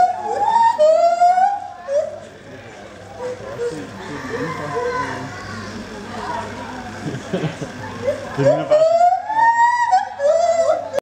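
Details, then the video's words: Gibbon at Copenhagen Zoo giving rising, wavering whoops at the start and end, with a quieter stretch of crowd chatter and murmuring voices in between. "Noisy gibbon at Copenhagen Zoo"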